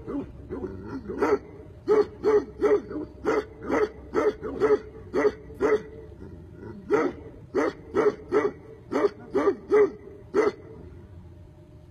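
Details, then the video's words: Tibetan Mastiff barking in a steady run of short, deep-toned barks, roughly three or four per burst with brief pauses between groups, about forty a minute; no other clear sounds. "Tibetan mastiff"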